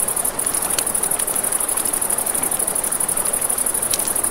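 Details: Crickets at night by a river beside a campfire: a steady, very high pulsing trill runs throughout, with sharp crackles from the burning fire and a soft rush of flowing water beneath.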